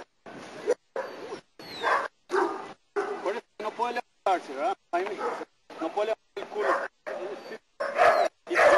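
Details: German Shepherd in protection work training in Costa Rica, barking repeatedly in short harsh bursts about every three quarters of a second, with a person's voice talking over the barks.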